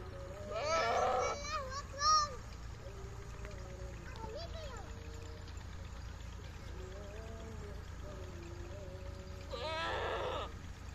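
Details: On a goat and sheep farm in Pakistan, goats give loud, quavering bleats at the start and end, with softer drawn-out calls between.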